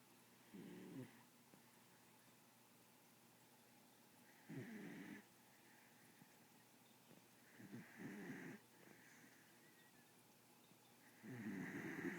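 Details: A sleeping pit bull snores steadily. Four rough, buzzy snores of about a second each come every three to four seconds, the last one loudest, over a quiet indoor background.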